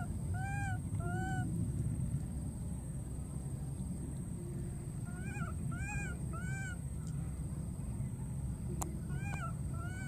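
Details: A wild baby monkey calls out for its missing friend with clear, arched, whistle-like cries in pairs and small bursts, rich in harmonics, repeated across the clip over a constant low rumble.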